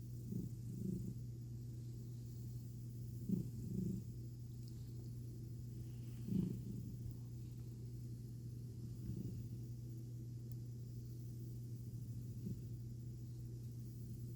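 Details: American Ringtail cat named Milo purring during a rare belly rub: continuous deep rumble with a few snoring swells near the start and middle, then a quieter, even stretch.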